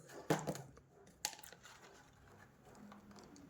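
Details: Indoor room with a few sharp taps and clatter, faint rustling, and no animal calls.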